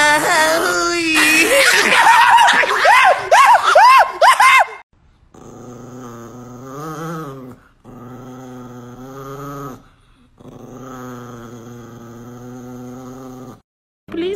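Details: Angry Chihuahua growling: high, whiny, wavering snarls for about four seconds, then three long, low, rumbling growls separated by short pauses.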